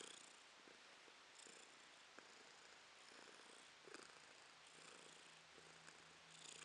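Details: Domestic cat Romashka purrs contentedly, April 2022; a dense, soft rumbling with gentle breath-paced swells, and a faint low steady hum entering toward the end beneath the purr.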